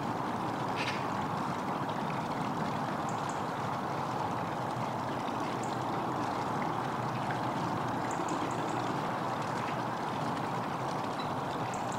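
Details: Steady broadband rushing like running water or a boat engine, with no animal voice.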